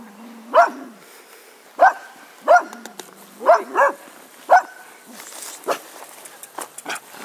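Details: A Cocker Spaniel in a grumpy mood barks in single and paired yaps spaced roughly one to two seconds apart, each bark short and tonal, followed by softer clatter and faint thumps.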